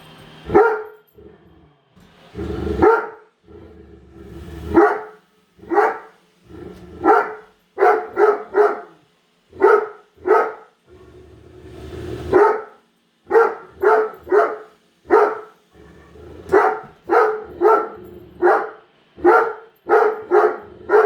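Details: Great Dane, a female, barking nonstop indoors at a newly unboxed robot vacuum; deep, loud barks in quick bursts of two to four, with brief pauses and the hum of the vacuum between them.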